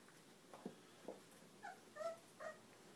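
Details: Cane Corso mix puppies, 22 days old, calling indoors: a few soft, short whimpers and squeaks, first low then higher and thinner, spaced about half a second apart over a quiet background.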